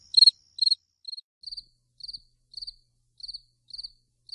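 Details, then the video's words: Grasshopper heard at night: short high pulsed chirps about twice a second, nine or ten of them, starting loud and quickly fading to soft, clipped ticks against silence. "Grasshopper Sounds | Grasshopper Buzz, Night Grasshopper Humming Sound, Mass Grasshoppers Sound"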